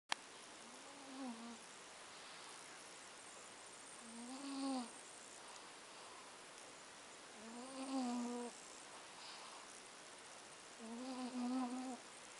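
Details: Plump domestic cat snoring while asleep at Avalon Beach: four soft, tonal, slightly arched snores with rich overtones, one every three and a half seconds, over a faint steady hiss.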